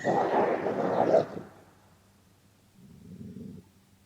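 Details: Gray wolf (Canis lupus), growl: angry threat toward another wolf, which flees.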